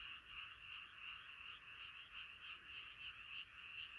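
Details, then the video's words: Dense frog chorus after dark, a shimmering, pulsing trill of many callers beating about three times a second, steady and unbroken across the short stretch. "자연의 소리 개구리소리"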